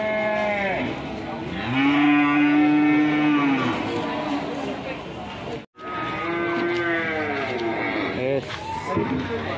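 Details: Fierce cows on a rampage, panicking their owner: a loud, long, steady moo swells and then fades. After a short break, a second bellow comes with rising and falling tones.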